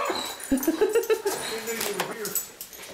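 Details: Female dog Lady Bear gives short, wavering whimpers at the front door, greeting her returning owner in joy, over the owner's repeated murmured greetings and household rustling.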